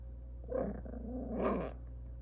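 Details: Maltese puppy giving two soft, muffled, growly yaps about a second apart, low and rough in tone, over a steady low hum.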